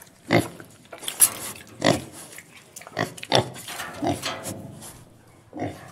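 A pig gives harsh, broad grunts and short squeals at uneven intervals, roughly every second or two.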